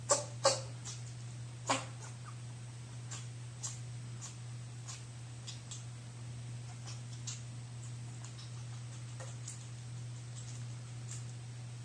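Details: Two-month-old Chihuahua puppy on its fourth day in a new home, just starting to sneeze. Three sharp, broadband bursts come in the first two seconds, followed by faint scattered clicks over a steady low indoor hum.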